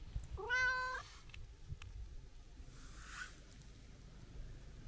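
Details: Chatty kiji-shiro tabby-and-white cat on a New Year greeting walk gives a single bright, wavering meow under a second long, then quiet outdoor background with faint clicks.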